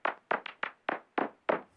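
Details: A bat's echolocation calls, recorded at night and made audible by an ultrasound bat detector, sound like dry knocks on a door, short broadband cracks about three per second, clicking instead of screaming so the echo isn't drowned out.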